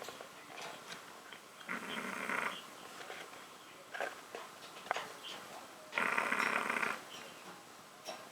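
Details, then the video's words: Chihuahua snoring indoors: two broad, raspy, breathy bursts about four seconds apart, each lasting near a second, with faint softer breaths between in a quiet room. "Храп чихуа"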